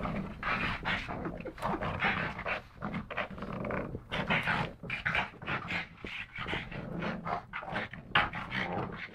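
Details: Two rescued pug brothers, Yogi and Mister, from the SPCA in Malta, wrestling in play; busy mix of snorting breaths, scuffling and low growly noises, dense and irregular throughout.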